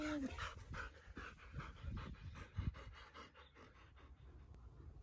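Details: Siberian Husky panting indoors, quick breathy bursts repeating about three times per second, with a short squeaky tone sliding down at the very start.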